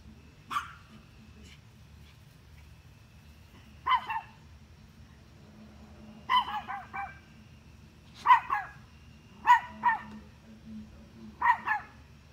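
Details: Barking at deer, a dog gives single barks and quick doubles and triples, separated by pauses of one to two seconds, against a quiet low background drone.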